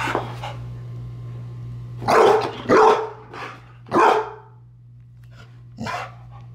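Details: An 8-month-old female dog barks at herself in a mirror for the first time, recorded on a Sony point-and-shoot camera: a few short, rough barks spaced about a second apart, with a steady low electrical hum underneath.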